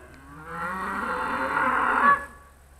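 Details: Trained Charolais cow moo, 2017, while a woman repeatedly calls the cow to come in Polish: a steady, drawn-out nasal low about 1.7 seconds long that swells slightly and ends with a short falling drop.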